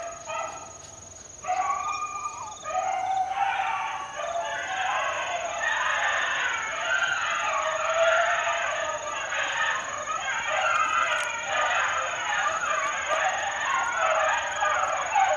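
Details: Several four-month-old Beagle pups in the wild, out working together: a few separate yelps, then an unbroken overlapping chorus of baying and yelping voices that runs to the end, with a constant thin high whine behind it.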